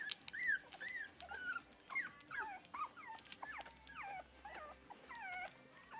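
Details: Whining from three-week-old English Cocker Spaniel puppies in a litter: repeated arched squeals, often falling at the end, about two or three per second, several pups crying over one another.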